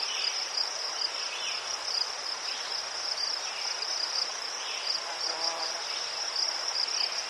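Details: Continuous shrill trilling of crickets recorded in Ukraine near chrysanthemums, a steady, finely pulsed high tone with softer lower chirps from more insects in the background.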